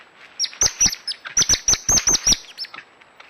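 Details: High, sharp chirping squeaks from a coati, repeated in quick pairs and singles, about eight notes within two seconds, over a faint background hiss.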